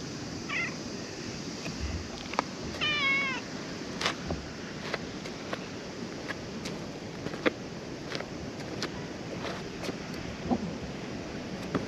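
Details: Stray cat approaching at a ferry landing during cancelled sailings, seeking petting; a short meow followed by a longer wavering harmonic meow, then clicks and taps over continuous wind and sea noise.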